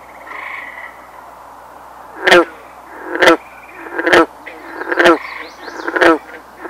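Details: In breeding season in mid-June, on an island near Canada's St. Lawrence River, an American bullfrog gives five deep, resonant croaks about a second apart, after a faint bird whistle, with soft high bird notes in the background.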